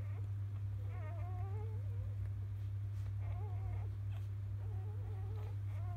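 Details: Newborn field-type Labrador Retriever puppies from biscuit's litter after morning nursing give wavering, quavering squeals in short bursts, a few seconds apart, over a steady low hum.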